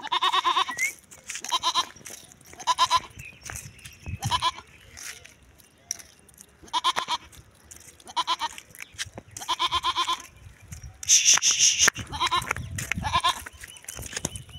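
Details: Barbari goat. Repeated bleating from a Barbari goat: short, nasal, quavering cries, each lasting under a second and coming in a steady run. A brief higher squeal and some background noise break in near the end.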